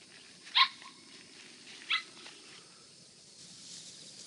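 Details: Hokkaido Ken puppies, one of four young pups (Masa, Piri, Ezo, Genko) kept at home, give two short, sharp high yelps about one and a half seconds apart, followed by quiet background hiss.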